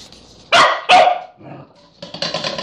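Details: Corgi trying to get into a peanut butter jar gives two loud, rough barks in quick succession amid scraping and rattling noise.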